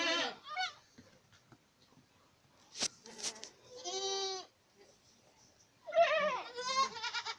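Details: Boer goats from Acatlán de Osorio, Puebla, Mexico: scattered bleats, one long harmonic bleat mid-clip and a wavering pair at the end, between quieter stretches with brief clattering noises.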